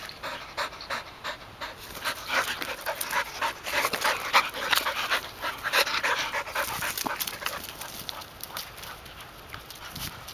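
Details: Golden Retriever panting while retrieving alongside two older sisters, the youngest a one-year-old; fast, somewhat uneven breathy puffs, louder in the middle and fading toward the end.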